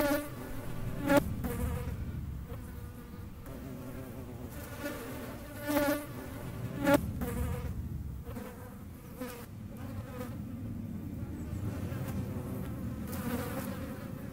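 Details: Hornets buzzing around the camera, a fluctuating droning hum with harmonic overtones, punctuated by a few sharp taps or knocks and short louder passes.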